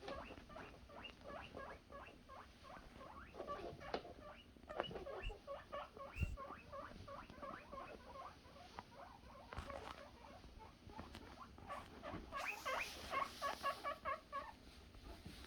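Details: Guinea pig boars excitedly calling for food, a dense overlapping chorus of short, squeaky rising whistles from several animals, with rustling and a hiss of background noise throughout.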